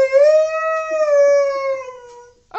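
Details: A single drawn-out Siberian Husky howl, steady at first, then slowly sinking and fading over about two seconds, with a brief short sound right at the end.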